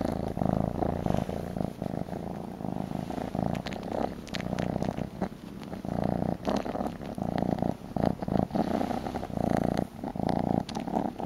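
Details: Purring kitten, a male baby cat kept indoors, nuzzling a shawl and wanting a bottle; a steady low rumbling purr in long rhythmic bursts of about a second, repeating with each breath throughout, with soft handling noises.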